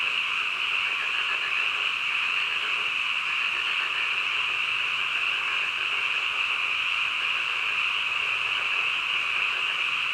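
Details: Midnight frog chorus with many overlapping callers. Together they form a continuous high, buzzing trill that holds steady from start to end, with no separate croaks or other sounds.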